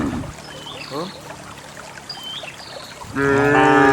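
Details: Cows descending a green hill to valley pasture; mostly quiet countryside with faint bird whistles and short low grunts, then a loud harmonic moo begins near the end.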